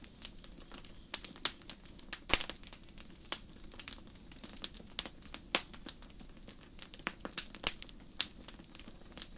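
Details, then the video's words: Night forest crickets under starry skies, their high pulsed chirps coming in steady short bursts with brief gaps, set against loud snapping and crackling of a nearby campfire. "Sleep Sounds: Campfire & Crickets"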